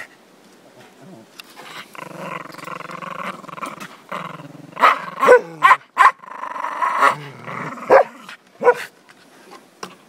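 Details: Border Terrier Zorro, registered as Ottercap Miracle Drug, gives a long harmonic growling whine for several seconds, then sharp irregular barks and yelps in the second half, with quiet gaps between bursts.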